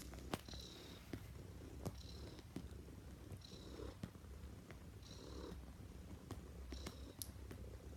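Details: Neva Masquerade cat, a Siberian blue point bred in Russia, purring while kneading a bed indoors; low continuous rumble throughout with faint rustling and soft clicks.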